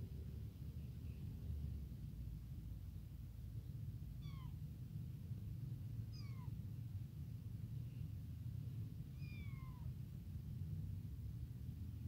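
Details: Tiny newly abandoned kitten crying nonstop for its mother, hungry for milk; three thin descending meows spaced about two to three seconds apart over a steady low rumbling background.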